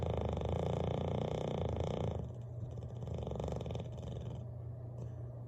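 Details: Bailey, a Bulldog, snores loudly while sleeping by the fireplace; a deep, rapid rumbling pulse fills the low range, loud for two seconds before easing to a softer steady drone.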